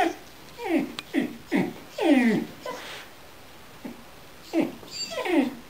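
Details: A blue-eyed Gerberian Shepsky, Loki, agitated by an orange squeaky basketbone: high yelping whines that drop steeply in pitch, several in quick succession, then a pause and two more falling cries near the end.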